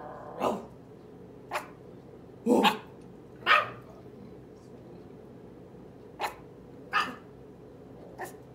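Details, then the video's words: Eight-week-old toy Chihuahua puppy of merle colouring, shaking with each bark as it barks back; about seven short, sharp, high yaps at uneven intervals, one doubled, in a quiet room. "8 Week old Merle toy chihuahua puppy whole body shakes when barking back!"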